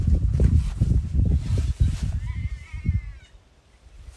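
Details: At Ulusaba, about six spotted hyenas growl and squeal in rough bursts as they fight over the scraps of a kill, which looked like a smallish impala.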